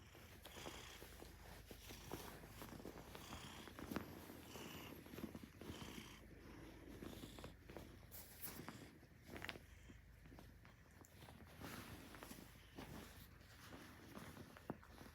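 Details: Maine Coon cat at close range indoors, acting as an alarm clock to wake its owner on day 488, giving a steady rough purr with soft rhythmic breathing pulses and occasional small clicks and rustles.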